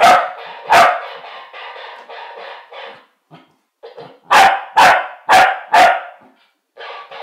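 A Corgi gives sharp, loud barks, with a toy parrot's buzzy chatter in between.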